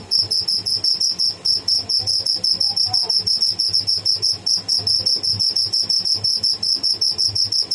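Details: Live cricket (tidda) chirping: a fast, steady stream of high, thin, pure-toned pulses, roughly six per second, loud and unbroken throughout, over a faint low hum.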